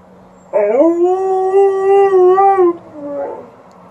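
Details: Indoors, an Alaskan Malamute answers a siren heard outside with a steady howl lasting about two seconds, rising at the onset then held level, followed by a shorter, softer lower howl.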